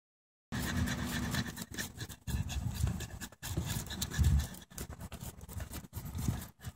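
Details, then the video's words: Indie, a female chimpanzee at Save the Chimps, known for a daily infectious belly laugh while playing with chimps and humans; breathy, raspy panting bursts in irregular runs, low and rough, separated by short silent gaps. "Indie the Chimpanzee Laughing"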